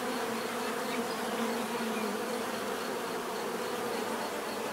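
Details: Continuous natural bee buzzing, many insects together making a thick, even hum rich in bright overtones, unchanging throughout.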